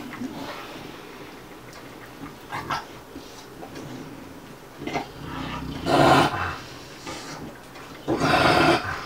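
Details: Play-fighting between Bubba, a two-year-old American Bulldog, and Ruby, a five-month Dogue de Bordeaux: quiet spells broken by harsh, rasping growl-huffs, two long loud ones near the end.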